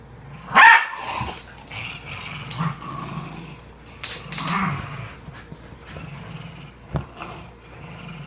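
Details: Dog; growl; hostility between dogs not getting along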